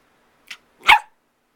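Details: A pet dog, said to be missing someone, gives a short soft yip followed by a louder single bark, indoors, with quiet talk around it.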